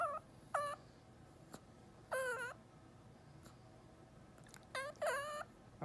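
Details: Ornery chihuahua whining indoors, demanding to be lifted onto a chair he could easily jump onto: short, wavering, high whines in bursts, some rising and falling, with clicks and quiet pauses between.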